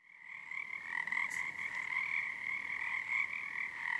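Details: Frog chorus at Frog Korner, Harstine Island, Washington, on a February 2021 night under the first full moon of the season, as numbers build nightly; dense continuous trilling in two steady bands, with swelling peaks of synchronized resonance.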